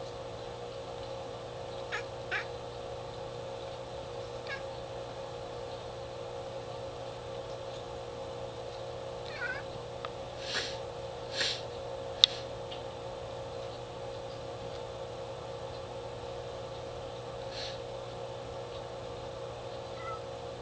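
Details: Pet cat indoors watching birds outside and cackling at them: short clicky chirps and brief rising-falling squeaks in scattered bursts over a steady low household hum.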